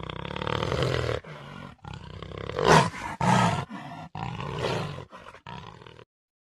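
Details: Jaguar (Panthera onca) giving a series of deep, rasping roars and grunts in bursts, several broken by abrupt cuts, the loudest near the three-second mark.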